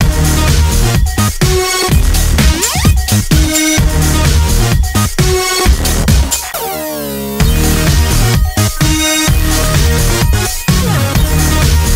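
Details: Loud electronic dance music with a pounding beat, layered synth tones and a sweeping pitch effect near the middle, no animal voice heard.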